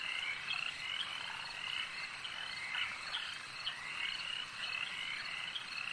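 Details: Lake frog chorus: many frogs at once producing a continuous wash of high, pulsing trills and chirps, steady in loudness throughout, with no distinct single caller.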